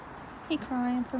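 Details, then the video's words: Male Siberian Husky Kenai whining under a tree for Sheprador Nala, in heat on day six: short yip, then two steady, level, low whines with rich overtones, briefly broken between them. "Husky Crying For His Sheprador Wife"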